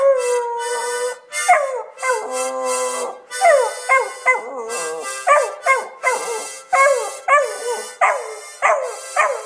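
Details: Otis, a male Beagle, howls along as his owner plays the South African national anthem, Nkosi Sikelele, on harmonica, his voice sliding down in repeated mournful wails.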